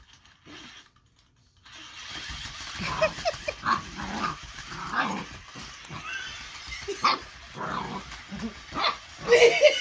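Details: Eight-week-old Boxer puppy named Baron reacting to the lights, sounds and movement of the Ollie interactive robot toy, giving short rough growls and barks at irregular intervals, with toy noises and a person's voice in the room.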